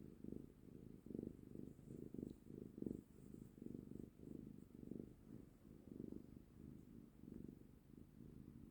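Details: Domestic cat purring while enjoying being held close, a steady low rumbling purr that swells and fades in pulses about once every half second to second, in a quiet indoor setting.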